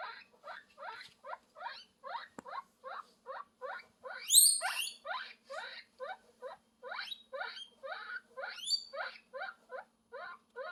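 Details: Calling for love, a guinea pig repeats short upward squeaks in an even rhythm of roughly two per second, interrupted midway by a couple of louder, very high rising shrieks.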